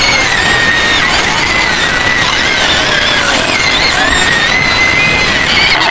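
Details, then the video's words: White pigs screaming in their pen on the outskirts of Medan, Indonesia: a dense, continuous chorus of high, harsh squeals with wavering pitch and layered overtones, several animals overlapping without pause. "SUARA BABI PUTIH MENJERIT JERIT DI KANDANG"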